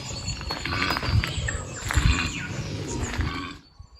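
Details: Koala calling loudly from a tree outside a house on a rural property in Victoria, Australia, in summer; described as asthmatic-sounding. Rough, low, pulsing grunts roll on steadily for about three and a half seconds, then stop abruptly, with faint chirps above.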